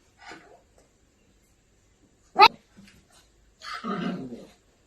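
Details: Angry Maltipoo puppy: a faint yelp, then a single sharp, high yap, and after a pause a rough, throaty growling bark lasting about a second, with quiet gaps between the sounds.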